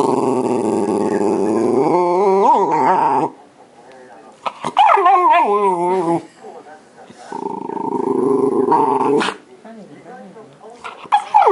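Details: Shiba Inu complaining at an empty yogurt cup after following its smell, voicing a long grumbling moan that bends upward into wavering yowls, then pauses and gives another sustained grumble indoors.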